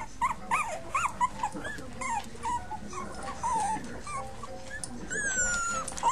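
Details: Five puppies, among them Patches, Chunk, Pipa Squeak and Blaze, giving high whining whimpers that rise and fall in short arched cries, several overlapping, with a fainter squeal near the end and light room noise.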